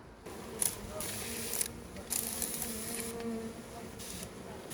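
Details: Honey bees, several thousand, being poured from a package into a new hive by beginner beekeepers during quarantine; a steady low droning hum with crackling, hissing bursts from handling the hive.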